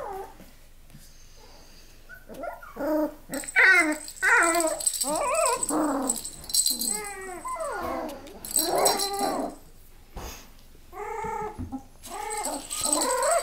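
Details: Miniature Australian Labradoodles give short, rapid whining and yelping calls in quick bursts, some high and squeaky, with rattling and scraping noises between them indoors.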